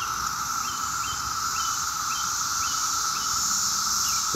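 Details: A dense chorus of 17-year cicadas emerging in mass numbers on a summer day in Maryland, loud near traffic, makes a steady, pulsing, high-pitched whine that never lets up; they call well into the night.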